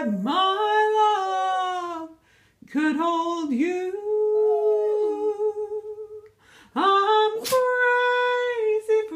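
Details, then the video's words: Pet dog Sandy sings with Patsy Cline's "Crazy" playing: three drawn-out howled phrases, each opening with an upward swoop and then held on a steady wavering tone, separated by short silent pauses. ""Crazy" singing dog. Sandy gives her rendition of Patsy Cline's "Crazy"."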